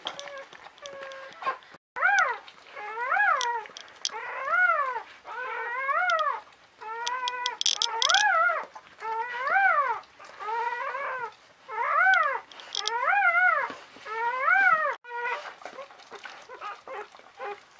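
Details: Third newborn Czechoslovakian Wolfdog puppy, a 400-gram female born 21 November 2020 to Orizon, squealing in a steady series of about a dozen arched, rising-then-falling cries roughly every second and a half, with faint indoor rustling.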